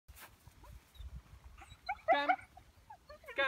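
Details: Dog called Duke during a training session, giving short high whining yelps with clear harmonics around two seconds in and again at the end, between quiet stretches and praise words spoken by a person.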